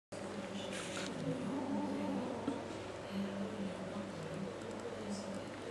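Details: A domestic kitten murmurs while refusing to share a sock with another cat. It makes low, throaty, warbling grumbles strung together almost continuously, rising and falling in short phrases.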